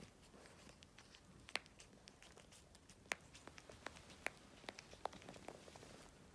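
An Asian small-clawed otter bites at its claws: sharp, dry clicks and crackles come at uneven intervals, roughly one every second or two, in a quiet room.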